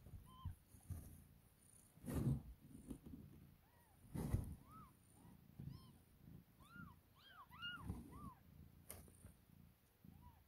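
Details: Two-day-old kittens of a cat named Chelsea, feeding on milk and jostling to eat; soft, arched high mews repeated irregularly over low rustling and handling noise.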